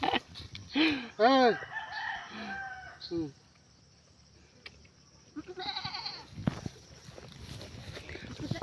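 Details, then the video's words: Mischievous goats bleat in a strong wavering burst near the start, with a shorter bleat after, amid people talking; crowing-like and other farmyard sounds follow in a noisy yard. "Mga makukulit na kambing"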